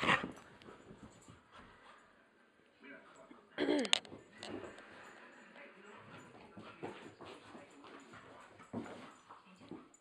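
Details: Rottweiler worked up and hyper at night, letting out a brief yip, then soft whimpers and whines, with a loud scuffle in the middle and a human voice faintly underneath.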